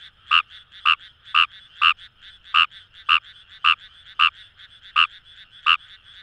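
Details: Wild Fejervarya kawamurai (numagaeru) calling in paddy fields along the Kamo River, Itoshima, Fukuoka, Japan: short, sharp croaking notes repeated roughly twice a second, with a dense background chorus of other frogs.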